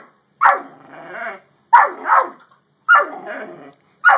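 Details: Great Dane and yellow Labrador exchange: four loud barks, each followed by a drawn-out harmonic growl or grumble lasting most of a second, then a pause before the next.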